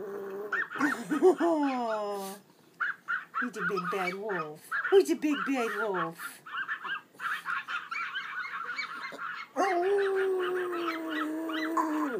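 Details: A pet Pomeranian named Pooh Bear howls like a wolf, with long wavering harmonic tones sliding up and down in several bursts, ending in a sustained steady howl; a person speaks between the howls.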